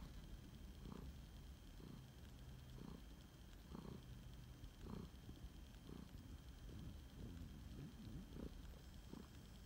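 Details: Phoenix, a rescued flame point Siamese cat, purring while snuggling indoors; low rumbling purr with rhythmic surges roughly once a second as he breathes in and out, steady and close, no other clear sounds.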